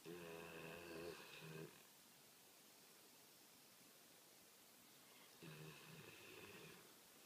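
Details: A female American Pit Bull Terrier, sound asleep, snores in two long, rumbling, buzzy breaths separated by quiet.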